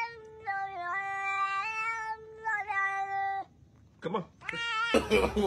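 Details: Pet cat meowing in a long, drawn-out, steady call with a brief dip, then a second shorter meow, followed by a pause, a short burst and harsh noisy sound at the end.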